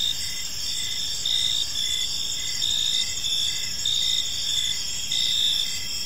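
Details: Crickets chirping on an evening in a park: steady high trilling bands with pulsed chirps swelling roughly every second, several insects overlapping in a dense chorus over faint low rumble.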